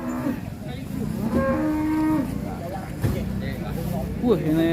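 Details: Qurban cattle arriving off a truck at a market, some raging; loud drawn-out moos with level, steady tones, one after another, over a busy crowd and engine rumble.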